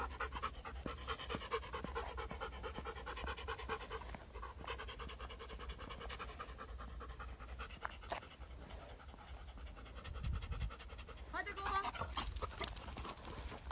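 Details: Belgian Malinois police dog in training, following commands; fast, steady panting of roughly two breaths a second, continuing throughout over a low constant hum and faint tonal background sounds.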